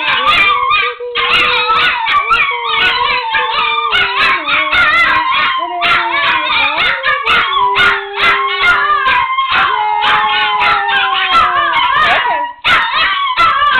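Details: Two Chihuahuas howl along to the Oscar Mayer Wiener song, long wavering tones sliding gently up and down in pitch.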